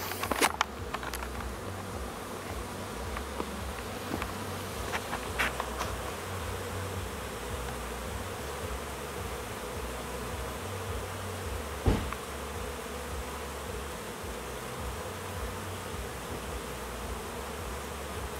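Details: Swarm of newly hatched honey bees on orientation flights around hives as new foragers learn to fly and find their home boxes; dense continuous low buzzing hum with scattered clicks and knocks, a sharp tap near twelve seconds.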